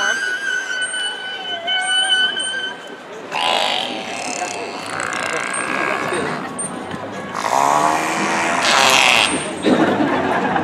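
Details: Captive killer whales Orkid, Ikaika and Corky at SeaWorld San Diego, May 2017, vocalize during a show: high whistles, then buzzy, pulsed calls swooping up and down in short bursts, over crowd murmur; each pod has its own dialect.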